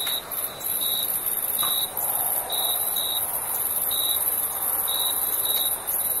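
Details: Summer night crickets: brief high chirps recurring roughly once per second, unevenly spaced, layered over a continuous piercing high-pitched insect drone.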